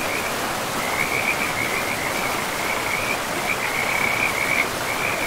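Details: A river running through pristine, moss-covered forest, with frogs calling: a thin, high, pulsing trill of many frogs that starts softly, then strengthens, all beneath the steady roar of water.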